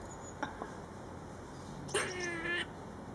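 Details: Friendly, curious grey squirrel making weird noises at the back of a house: a few faint clicks, then one drawn-out, slightly falling nasal moan lasting under a second.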